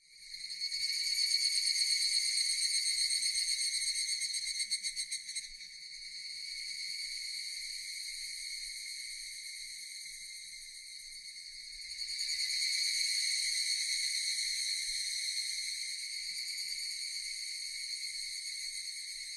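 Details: Japanese cicadas in a continuous high buzzing chorus, layered and droning, louder in the first seconds and again after twelve seconds, with no other clear sounds.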